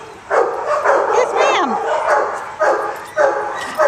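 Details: Barking dog: about five punchy barks at uneven intervals, with a brief falling whine-like squeal between them in the middle.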